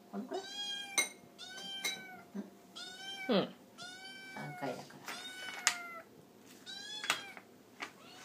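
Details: Orange tabby kitten begging for food at mealtime, indoors with two other cats; a rapid run of bright, rising-falling meows, roughly one every second, with occasional clicks and clatter between calls.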